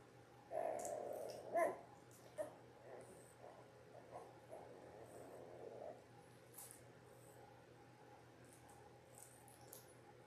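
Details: Newborn Labrador Retriever litter of six, ten days old, born January 18, 2022: a couple of louder whining whimpers early on, then fainter murmuring cries fading to quiet room hum.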